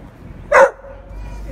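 A dog gives a single sharp, abrupt bark against a quiet background.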